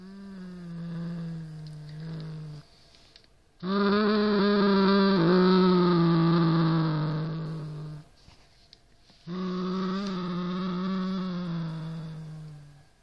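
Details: Norrington, a Siamese cat, growling at a rat toy: three long, low, harmonic growls, the middle one loudest and wavering, separated by short pauses, inside a small room.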